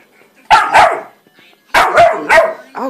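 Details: German Shorthaired Pointer x Boxer puppy, male, playful yet fussy, barking on command indoors: a pair of quick barks, a pause, then three more barks in close succession and a short whiny yelp.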